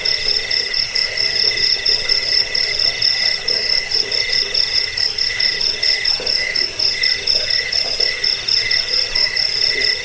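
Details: Chorus of crickets, offered as a rat-repelling, sleep-inducing track and as master audio for training birds. Continuous shrill pulsing trills layer over one another, with a softer lower chirping band and rapid ticking at the very top.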